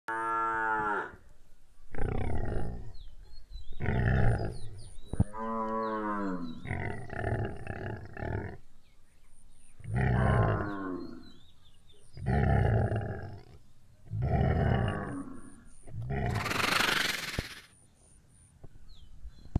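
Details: Indian Gir cattle at milking time, a run of short, hoarse harmonic moos, about eight overlapping calls spread over twenty seconds, ending in a loud rushing noise burst.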